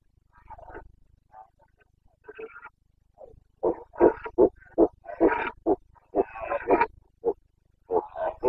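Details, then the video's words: Carpathian red deer stag in the Romanian Bucovina mountains at the 2022 rut, 29 September: soft grunts building into a rapid series of short, hoarse, barking roars, about two or three per second, rising in loudness. "Boncănit / Carpathian stag Breeding season"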